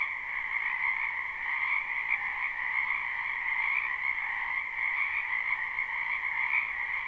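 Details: Wild frogs calling en masse in a wetland during spring, captured live: a thick wall of rapid, trilled croaking at even loudness, layered at two pitches, uninterrupted by other animals or people.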